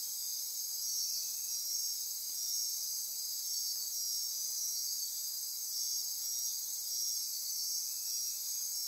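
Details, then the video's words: Nighttime rainforest insect chorus near Corcovado National Park, Osa Peninsula, Costa Rica: layered shrill ringing and pulsing trills held at a constant high pitch, a steady drone with slight rhythmic flicker over nearly nine seconds. "Midnight Insect Chorus"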